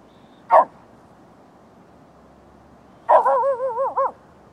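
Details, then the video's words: At night, a Lhasa Apso barking at deer gives one sharp bark, then another that slides into a wavering, yodelling whine. "lhasa apso barking at deer at night"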